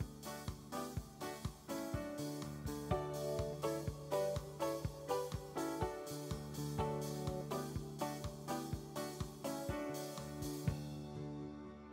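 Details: Keyboard and guitar music with a regular beat plays from start to finish, with no animal calls.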